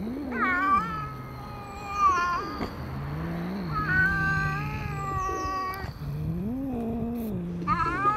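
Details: Two cats meeting, one a friendly black cat, the other not friendly; long, low, drawn-out growling yowls wavering in pitch, broken by higher strained meows near the start, middle and end, with faint birds behind.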